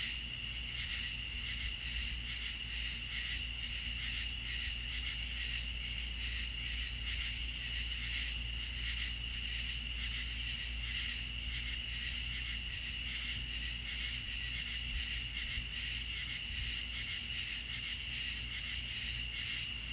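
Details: Night chorus of crickets in the Deep South, a constant bright high-pitched shimmer of overlapping rapid pulses that never pauses, over a soft low background rumble.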